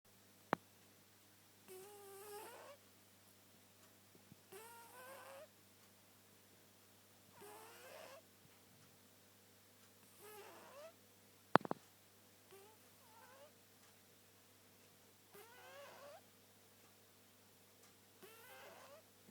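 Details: British Blue cat snoring while asleep indoors: low rasping snores about every two and a half seconds, each a throaty wavering rumble, with a couple of sharp clicks in the room and a steady low hum underneath.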